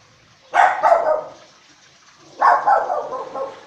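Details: Guard dogs warning at footsteps while the owner is away: two loud, rough barks about two seconds apart, each breaking into a short ragged double note.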